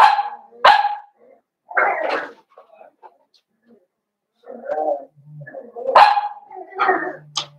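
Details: Young blenheim Cavalier King Charles Spaniel puppies from a litter of five, indoors in their puppy pen; sharp bright barks and yaps in uneven bursts, with quieter grumbling sounds between them.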